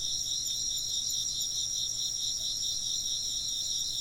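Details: A steady high chorus of chirping insects gives rapid shimmering trills in several stacked layers. The loudness stays even for the whole stretch, with a faint low hum beneath.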